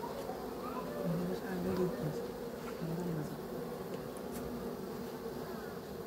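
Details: Honey bee buzzing in a low, steady drone with wavering tones that rise and fall, slightly louder between one and two seconds, over a faint background hum.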